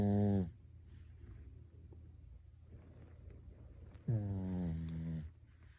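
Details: Sleeping Pekingese called Byeol snoring much like a human, two strong buzzy snores with stacked harmonics, one ending at the start and another about four seconds later, soft breathing noise between them indoors.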